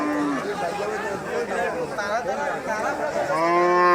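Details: Huge cattle at a Qurbani cattle market in Kachukhet Cantonment, Bangladesh, lowing loudly: drawn-out, harmonic moos with wavering pitch, one ending and another starting near the close, amid faint market chatter.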